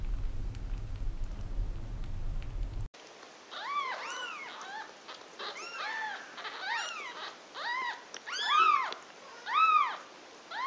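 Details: After a short stretch of low noise, a rapid series of high, arched, whistly mews from kittens being nursed by their mother cat, about one per second, loud and insistent, with a steady high tone in the background.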